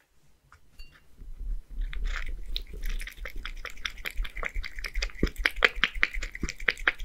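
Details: Scottish Fold tomcat Beard, one year old, in Japan, lapping up creamy seafood soup; quiet at first, then fast moist licking and smacking clicks, roughly two or three each second, in a small room.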